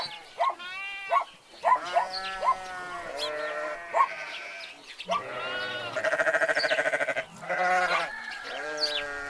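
Several sheep bleat in turn, quavering nasal calls overlapping one another.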